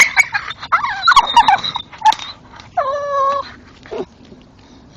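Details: Male old English Staffordshire Bull Terrier chewing a tree stump in the dark and vocalising as he chews: a loud series of high, wavering whines and yips, then a sustained nasal whimper with strong overtones, and a short grunt; an owner speaks encouragingly.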